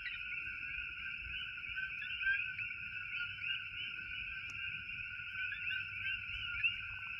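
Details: In Hilo, Hawaii, a dense chorus of coqui frogs gives chirping two-note calls that merge into a steady ringing drone.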